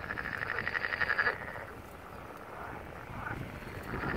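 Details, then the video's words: Frogs calling from a seaside wetland below a poppy-covered hill at Barletta, Puglia, southern Italy, on 1 April 2022, the first heard that year; a rapid pulsed trill at the start, then fainter croaks over steady wind. "꽃양귀비 피는 언덕 개구리울음"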